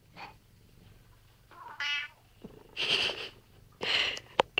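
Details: Pet cat in a chair-stealing squabble with its owner, trading sounds with the owner: a short, harmonic meow in the middle, surrounded by quieter rustles and brief breathy noises in a quiet room.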